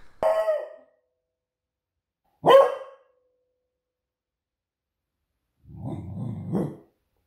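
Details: Female beagle barking as a guard dog on duty, two loud sharp single barks about two seconds apart, then a lower rough growling bark after a pause, in a quiet room.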